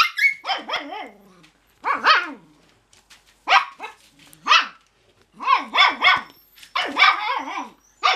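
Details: Several Cocker Spaniel puppies resisting bedtime bark in bursts of two or three high, squeaky yaps, clusters separated by brief pauses, roughly one bark per second, bright and strident with no other sounds.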